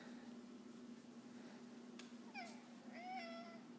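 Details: Jax, a pet cat indoors at home, talks to his owner as she works from home, giving short high squeaky meows followed by a longer wavering meow over a steady low room hum.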